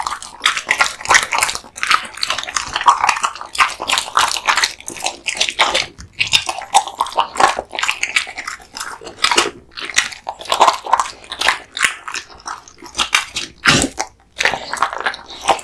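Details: Kotetsu, a big-eating male American Bully, crunching through raw bones and meat; long stretch of loud cracking bites and grinding chews, a few short silent gaps between bursts.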